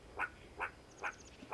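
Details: A female meerkat indoors gives short clucking contact calls, repeated about every half second, talking with the rest of her group just outside.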